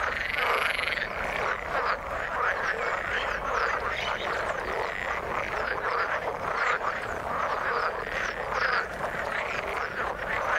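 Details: Frogs croaking in the water as a thick, unbroken chorus of rattling and clicking pulses, many callers overlapping throughout.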